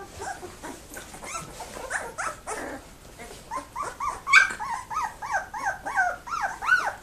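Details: Labrador Retriever puppies two weeks old in the whelping box, lively in December: a run of rising-then-falling whining calls, repeated roughly every half second and growing louder toward the end, with softer overlapping squeaks early on.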